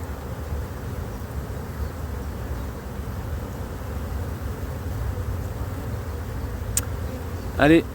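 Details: Honey bee split colony become drone-laying in 2024 after cold weather ruined the first matings: an even, low-pitched hum of bees fills the recording, ending with a short clack and a brief voice.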